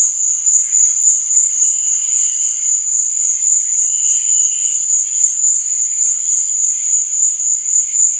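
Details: Night-time cricket chirping: a constant shrill ringing tone holds level throughout, while fainter mid-pitched chirps come and go, with one brief stronger burst near the middle.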